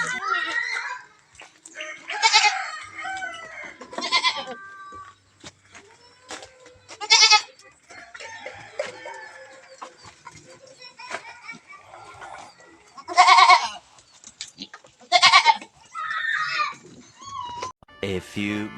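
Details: Goat bleating: several loud, wavering, nasal bleats at irregular intervals of a few seconds, with quiet stretches, faint rustling and soft background sounds between calls.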